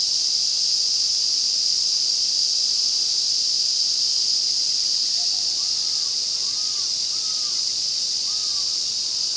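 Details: Ezo cicadas fill a Nagano forest in Japan with their August chorus at the Afan Woodland. The intense, continuous high buzz dominates, while a few faint, short, arched bird calls come through in the background during the second half.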